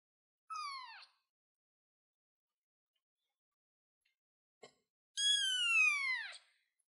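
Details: Kitten sitting on a chair gives two meows: a short high descending mew, then after a pause with one faint click a longer, louder, clear harmonic meow that slides downward at the end; otherwise quiet.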